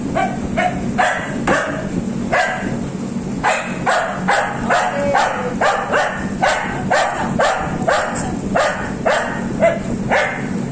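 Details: An English cocker spaniel, a female that barks constantly, giving a steady run of sharp, short barks about two per second, some doubled, over a constant low hum and background noise.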